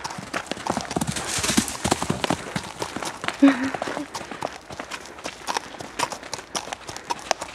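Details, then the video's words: Hoofbeats of a mare running loose in a forest, exploring: a dense series of sharp, irregular clip-clop thuds on the ground, with a person speaking at times nearby. "Hest løber frit i skoven"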